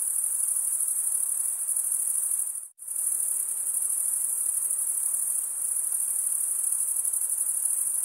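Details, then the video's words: Steady high cricket trilling from wing stridulation, briefly cutting out to near silence for a fraction of a second early on before resuming just as evenly, with faint background hiss. "cricket sound"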